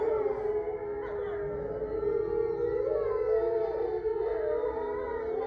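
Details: Eight grey wolves kept at a sanctuary in Ipswich, Massachusetts, in a full moon chorus on November 27, 2023; dense overlapping steady howls blend into a continuous harmonic wall with slight wavering pitches throughout.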